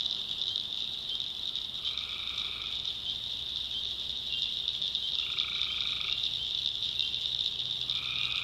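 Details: After dark in a North Carolina backwoods swamp, tree frogs give scattered short nasal trills, three or four in a few seconds, beneath a loud, steady shrill chorus.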